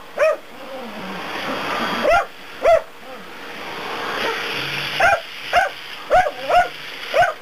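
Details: A dachshund barks sharply and high-pitched at a running vacuum cleaner, first scattered barks then a quickening run of yaps about a second apart, while the cleaner's constant motor drone fills the background.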